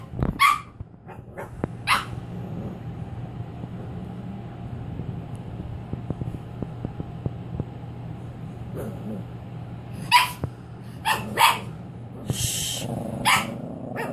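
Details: Cavalier King Charles Spaniel puppy named Zoe on her first night home, being introduced to a crate; a few short, sharp yips and barks break out at scattered moments over a steady low hum, with quiet gaps between.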